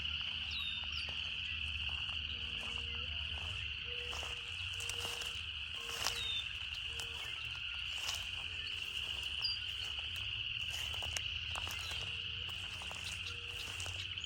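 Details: Cicada chorus as an even, piercing drone, overlaid by sharp clicks, a few quick high chirps and a series of soft repeated mid-pitched notes.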